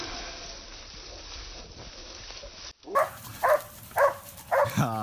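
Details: Korean hunting dog, a six-month-old, on its first wild boar hunt for nuisance wildlife control; after quiet rustling, four loud barks ring out at roughly half-second intervals, the last trailing into a harmonic yelp.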